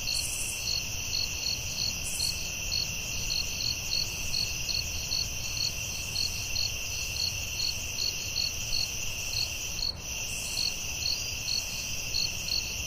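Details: Night-time forest crickets keep up a rapid series of bright, evenly spaced chirps over a constant high buzzing chorus, with faint brief hisses and a soft low rumble beneath.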